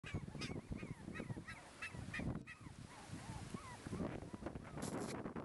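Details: Black Shiba Inu male puppy born December 6, 2011, recorded December 24, 2011, at a breeder: a series of short high whines with slurred, bending pitch, repeated every third of a second, with rustling and thumps.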